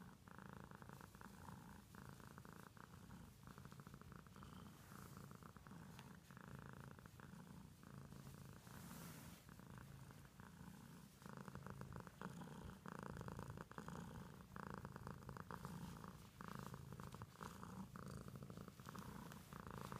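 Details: Domestic cat purr, a continuous low vibrating rumble that swells slightly louder toward the end, steady and unbroken.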